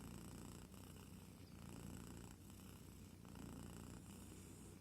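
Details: Close, continuous low purring of a sleeping kitten, a vibrating rumble with gentle breath-paced swells about every second and a half, nothing else heard.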